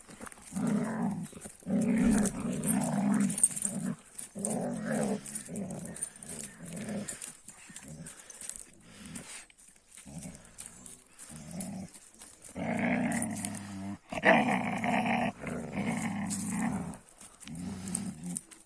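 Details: Young Kangal shepherd dogs, one named Reis, fighting with each other again. Low rumbling growls come in repeated bursts, swelling into louder, harsher snarls near the end, with a man speaking over them.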